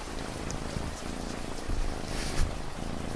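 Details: Domestic cat purring beneath steady rain, a low continuous rumble with fine raindrop patter and occasional brighter splashes across the recording.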